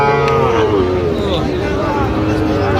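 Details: Sahiwal bull calf at a cattle market in Tangail, Bangladesh, on 19 December, giving one loud sustained moo that glides slowly downward, with market chatter and voices in the background.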